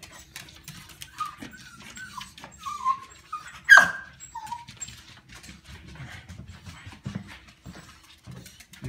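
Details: An excited corgi, one of several greeting their dad as he arrives home, gives high whines and one sharp yip amid his cheerful talk.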